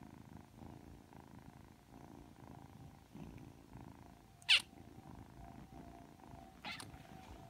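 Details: Three-month-old Ragdoll kitten Aki, freshly awake and affectionate, gives a soft continuous purr with gentle rhythmic swells; two loud sharp snaps cut in midway and near the close.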